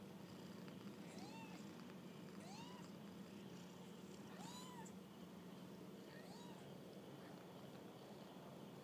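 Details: Kittens out on their first walk give four high arched meows, each rising then dropping, spaced roughly one and a half seconds apart over a constant low droning background.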